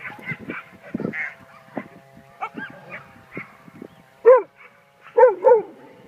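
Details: Australian cattle dog vocalising: soft, irregular murmuring whines at first, then three sharper, higher yipping cries in the last two seconds, each briefly rising and falling.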